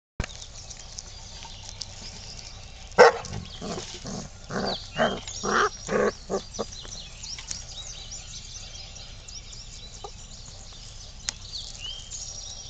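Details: Labrador cross puppies at five weeks old, from Lucy and Teddy's litter: after a sharp knock, a quick run of about eight short, tonal yelping whines over roughly three seconds, then quiet room hiss with a few faint clicks.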